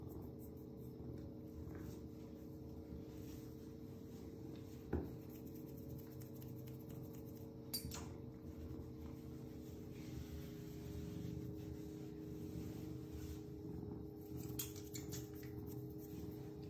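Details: A male Ragdoll cat purrs in a steady, low, continuous rumble while being stroked, with a few soft handling noises.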